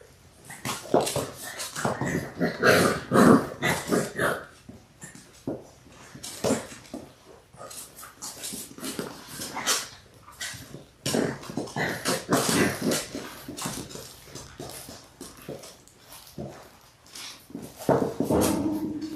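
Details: Six Labrador Retriever puppies, born January 18, 2022 and six weeks old, on a February 28 live stream. Long stretch of rapid, scratchy growls, grunts and whimpers, roughly two per second, with scrabbling in a small room.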